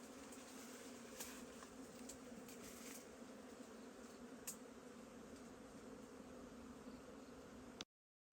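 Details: Wild honeybees in a forest, found at a wild hive: a steady, continuous droning buzz with a low hum band, a few sharp clicks and taps over it, ending abruptly.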